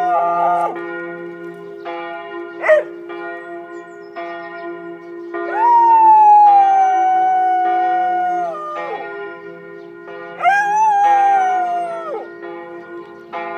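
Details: George, a Border Collie, howls like a wolf along with church bells in Tiergarten, Berlin, his first time doing so. Two long wavering howls, the first held about three seconds, the second shorter, rise over steady ringing bell tones.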